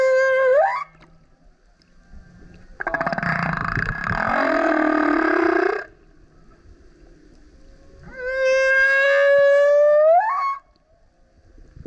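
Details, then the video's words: Loud song of a male humpback whale coming up next to a kayak, opening with an upswept harmonic cry, followed by a long buzzy grunting roar, then a sustained tonal howl that bends sharply upward at its end. "Singing Whale is LOUD - BURPS, GRUNTS, HOWLS + ROARS! Listen as he comes up singing next to kayak"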